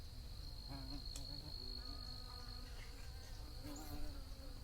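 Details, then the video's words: Close bee buzz, a low wavering drone whose pitch bends up and down as the insect moves, over a constant thin high whine and low background rumble. "Bee Buzzing Sounds for Your Best Focus"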